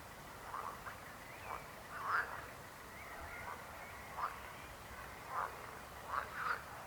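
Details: Frogs croaking faintly in short, scattered bursts, about seven rough croaks spread over several seconds with quiet gaps between them and a soft background hiss.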